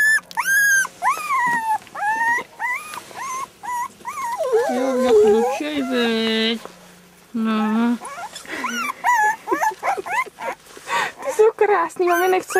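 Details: Four puppies, three weeks old, give high, arched whining squeals in quick succession at the start, then more thin whimpers continue under people chatting in Czech close by.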